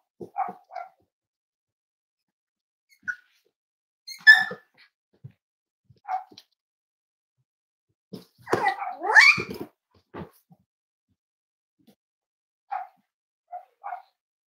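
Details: Cavalier King Charles Spaniels at Red Barn Cavaliers, indoors on a kitchen cam, giving scattered short barks and yips with a louder cluster of barks midway, while a woman talks to the dogs.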